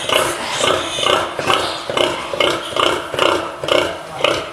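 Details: Pigs in a farrowing pen grunting in a steady rhythm, about two short nasal grunts per second, with a faint higher squealing layer over the pulses.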